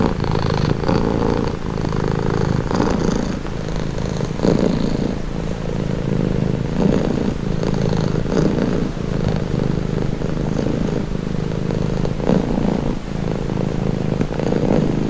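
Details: Relaxing purr from a domestic cat: a low continuous rumble rising and falling in soft breathing rhythm every couple of seconds, with occasional faint clicks and airy hiss over the steady drone.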